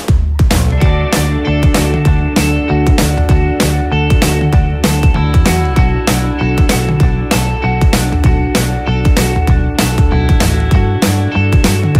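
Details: Loud driving rock music with heavy guitar and steady drum beats fills the whole stretch, without any animal sound.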